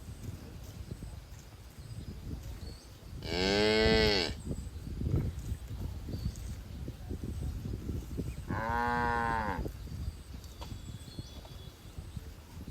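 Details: Cattle in a herd grazing in a green field: two long, harmonic-rich moos roughly five seconds apart, each lasting about a second, over a low rustling background.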